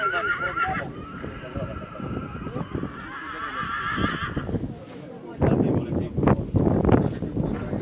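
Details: Whinny of a Polish Coldblood stallion born 2019. A high opening note drops into a sustained, quavering neigh lasting about four seconds. Then comes a burst of heavy thuds and movement noise, with voices in the background.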